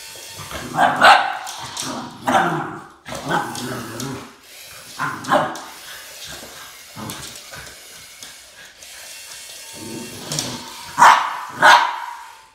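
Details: Boston Terrier Max facing off against a snake; irregular sharp barks throughout, clustered early and with a loud double bark near the end, over a steady background hiss.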